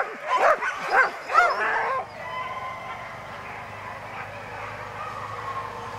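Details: Alaskan husky sled dogs at a musher gathering in Målselv, Norway, September 2009, give three quick yelping barks with rising whine tones in the first two seconds, then a faint hum and distant tonal noise.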